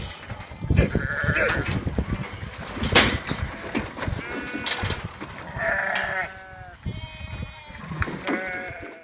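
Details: Farm sheep kept with lambs, recorded in May: several wavering, nasal bleats with quavering tones at about 1.5, 5.5 to 6 and 7 to 8.5 seconds, over steady rustling, knocking and clattering farmyard noise.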